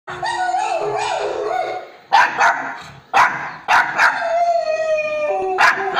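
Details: Pet dog barking in reply to its own recorded bark. Two seconds of wavering, whining howl-like tones open the sequence, then about six sharp, loud barks follow at uneven gaps, with drawn-out whines between them.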